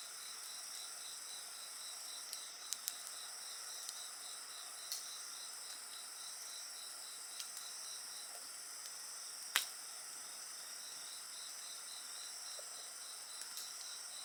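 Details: Night insects singing near a bonfire, making continuous high-pitched trilling layers with one band beating in rapid regular pulses. Occasional sharp snaps of crackling firewood stand out above the chorus.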